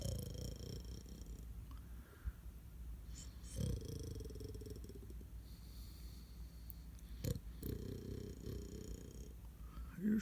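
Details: Sleeping Pomeranian snoring softly indoors, low rumbling breaths in about three drawn-out bursts spread over ten seconds, quiet room with faint background hiss.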